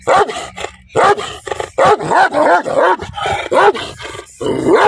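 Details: An angry dog gives loud, sharp barks in quick succession, roughly two per second, each bark a short rising-then-falling yap.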